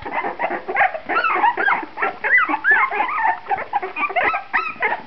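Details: Litter of puppies 2.5 weeks old, eyes newly opened, becoming more active: overlapping thin whimpers and squeaks, many short rising and falling cries from several pups at once, steady chorus.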